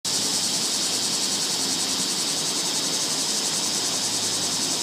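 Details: Cicadas in summer: a loud, unbroken, high buzzing drone that holds steady without pauses throughout.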